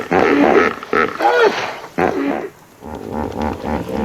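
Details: A hippopotamus in its natural habitat in Africa gives loud, rough grunting honks in short bursts, then a lower run of pulsing grunts.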